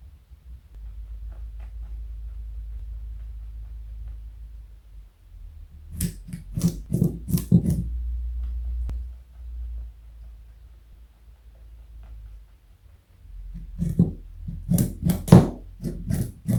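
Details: Carrot being eaten by Joey, a pet rabbit of 4.6 kg: two separate bouts of crisp crunching, each a cluster of rapid bites, with stretches of low indoor hum between them.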